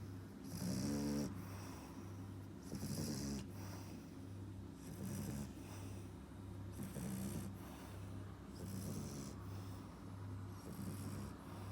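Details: French Bulldog puppy, four and a half months old, snoring: breathy rasping snores rise and fall about every two seconds, each with a hissy upper wash over a low rumbling throat tone, against a steady low indoor hum.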